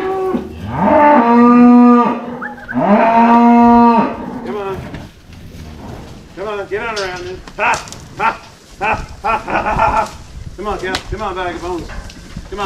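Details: Cows being moved home give two long, loud, steady moos followed by a series of shorter, wavering bellows from several animals, with scattered knocks and clatter in the background.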